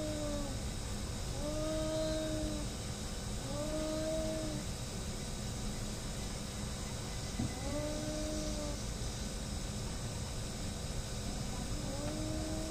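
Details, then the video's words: Cats in a fight: four drawn-out, level, moaning yowls, each lasting about a second, with gaps of a few seconds between them and a quiet stretch before the last one, all over steady low-pitched background noise. "cat fighting, hating each other"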